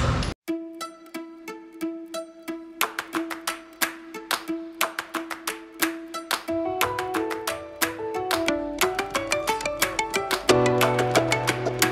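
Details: Bright plucked string music with repeated notes and a rising beat, without any animal sound.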